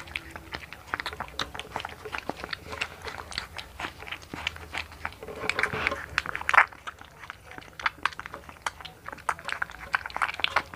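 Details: One-month-old American Bully puppy named Hunter, blue-coated, from the Philippines, munching food. Rapid crisp crunches and bites tick along steadily, one louder snap near the middle, soft room noise and a faint voice behind.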